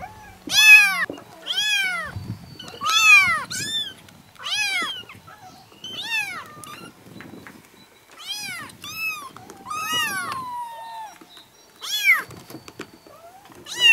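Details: Seven kittens, four to five weeks old, from two sibling mother cats living in a yard, meow all at once, high, thin, arching cries in quick overlapping bursts.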